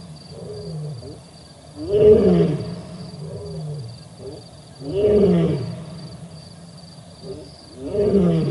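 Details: Male lions at the Olifants River on 4 October 2020: a series of heavy, throaty roars roughly every three seconds, each swelling then fading, with quieter grunts in the gaps and a faint constant background hum.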